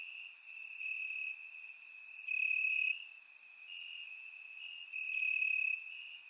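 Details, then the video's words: Crickets chirping in grass on a warm summer night in Bulgaria, captured with a surround microphone: a steady high trill runs throughout, swelling louder in bursts around the third and fifth seconds, with fainter, higher insect buzzes layered above. "Cricket Sounds - Crickets Chirping at Night"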